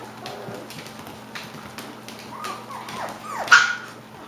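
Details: Klee Kai and Shiba Inu cross puppies just over five weeks old, giving soft rising and falling whimpers late in the clip, ending in a brief sharper yelp, with a low steady hum underneath.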